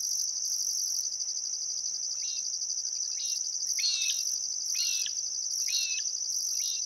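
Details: Crickets at sunset by the Barcoo River in Welford National Park, Outback Queensland, Australia, on a still summer afternoon: a steady high shimmering trill over a pulsing higher buzz, with repeated short zigzag bird calls every second or so from about two seconds on.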